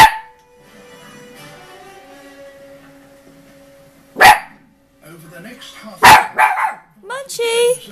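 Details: Five-month-old puppy reacting to buffalo on a TV documentary with two loud, sharp barks several seconds apart, over a steady droning tone, narration and other documentary sounds.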